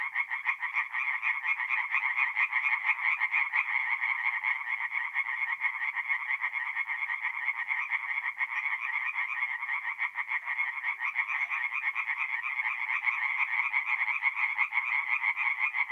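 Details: Tree frogs singing at night at a forest pond in mid-April in north-eastern Italy: a dense, unbroken chorus of fast rattling pulses, many callers overlapping, steady and loud throughout.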